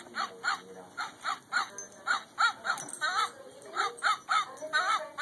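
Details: Christmas 2011 indoors, pet Border Collies join in with Jingle Bells: rhythmic bursts of high, arching whine-like yowls, each rising then falling, roughly two to three a second, with a persistent buzzy hum behind.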